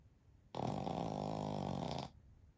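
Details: Pekingese x Shih Tzu mix dog, one of a flat-faced family of three (Shiro, Shii and daughter Shiyu) napping together in deep sleep, snores once: a rasping, buzzy, harmonic-rich breath lasting about one and a half seconds, steady then stopping abruptly.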